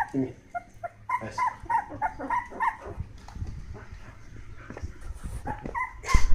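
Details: Hokkaido dog puppies at 16 days old, brindle female, brindle male and red female, making a run of thin high whimpering squeals in quick succession, then rustling and handling noise, with a louder yelp at the end.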